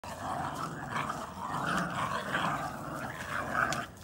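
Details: Red-brown Boston Terrier puppies playing tug of war over a chew ring, growling like little wolves in fun; steady rumbling growls with raspy rising and falling tones throughout, a few clicks of chewing.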